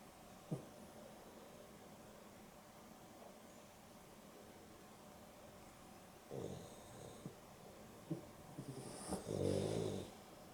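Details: A Boston Terrier and a Beagle cross napping together in the afternoon: faint breathing, then a few short snorting snores and one louder, rasping snore near the end.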